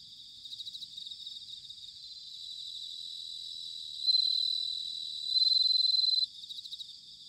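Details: Many bell crickets trill together on an autumn night at Sanuki, Chiba, Japan, recorded with ZOOM H6 and TASCAM DR-05X microphones. A high, pulsing chorus swells as one close singer delivers two louder, sustained bell-like rings.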